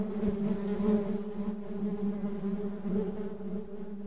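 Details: Softer, quieter buzzing of honey bees, a low even hum with a faint higher tone, a couple of short clicks near the start and close to three seconds.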